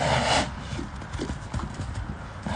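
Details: Brief run of soft, rapid hoof strikes from Enaaq Al Thaqeb, an Arabian stallion filmed in 2021, opening with a loud burst of a man's voice, then quieter clopping steps.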